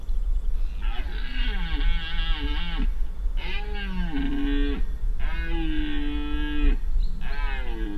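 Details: Red deer stag, an irregular fourteen-pointer, roaring during the 2025 rut in Spiš: four hoarse, harmonic-rich roars of one to two seconds each, separated by short gaps, with a steady low rumble of background noise.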